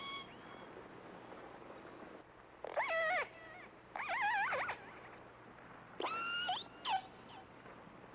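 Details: Killer whale (Orcinus orca) Namu, one of the first killer whales ever captured, gives strained, wavering distress cries with rich harmonics, recorded by hydrophone while being towed toward Seattle and Puget Sound, other whales sighted nearby.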